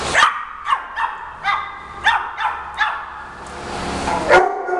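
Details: Small Shih Tzu dogs barking at each other indoors during a playful scuffle as one tries to protect a newly arrived Yorkie from the rest of the pack: sharp, high yapping barks repeated about every half second, then a rushing noise.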